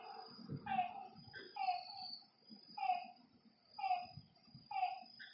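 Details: At a lakeside after dark, a frog utters spaced, downward-bending croaks about once a second, with a soft low thump early on and a faint high hum in the background.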